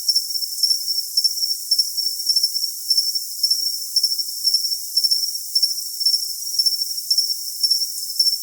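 A cricket chirps steadily, giving high, thin, pulsed trills repeated in quick bursts.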